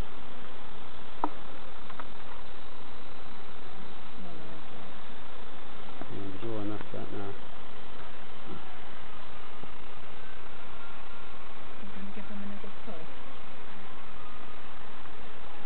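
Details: Hive bees buzzing during an inspection by novice keepers at an allotment and community garden: a continuous low, dense hum runs throughout, with a few spoken words breaking in around the middle and later.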